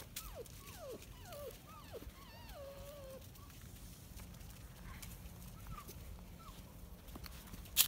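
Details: Five-week-old Kuvasz Kangal Komondor mix puppies at the start of the night shift give a run of high, wavering whimpers, each sliding down in pitch, for about three seconds, then a few faint short whines over soft rustling and clicks.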